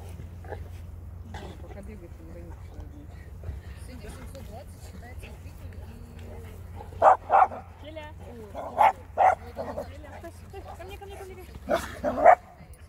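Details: Cane Corso and American Staffordshire Terrier playing together; a man speaks Russian quietly throughout, then sharp, loud barks burst out in clusters around the middle and again near the end.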